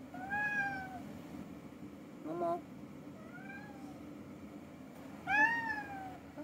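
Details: Pet cat visiting its sleeping owner in the morning indoors: a clear meow, a short chirp, a softer meow, then a louder bending meow near the end, over low steady room noise.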